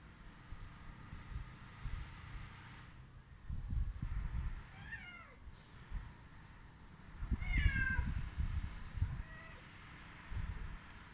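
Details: Stray cats, hungry and being fed, give a few falling, drawn-out meows spaced several seconds apart, softer than a steady low rumble and scattered thumps in the background.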